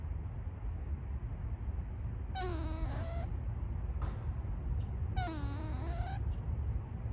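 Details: Wild gray squirrel giving a strange little call in the woods: two separate nasal, whining moans that sag and then climb in pitch, nearly three seconds apart, with constant low background rumble.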